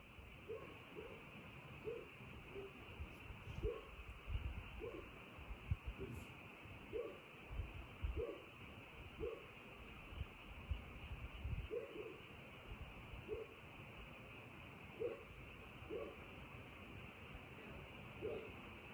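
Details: Frogs calling at night: short, soft croaks repeated roughly every second, well spaced throughout, over a steady high-pitched hum and a low rumbling background.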